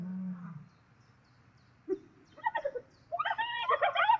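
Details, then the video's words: Spotted hyena in a fight with lions over food in South Luangwa National Park, Zambia: a low droning moan fades out, a pause follows, then quick bursts of excited, harmonic, cackling calls build in a rapid stuttering series. "Hyena and lions fight over their food"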